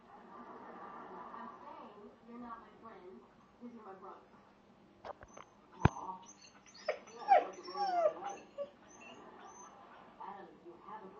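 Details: A male Siberian Husky gives rising, wavering whines and yips, unable to cope while a female is in season.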